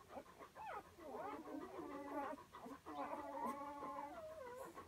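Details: One-day-old newborn Komondor puppies whimper with thin, wavering, overlapping squeals.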